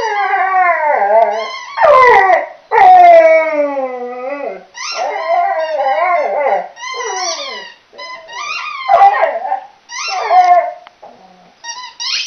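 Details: Playing with a squeaky toy, chocolate Labrador Millie gives a string of wavering howls and whimpering yelps, pitch sliding up and down, broken by a few sharp clicks and short pauses.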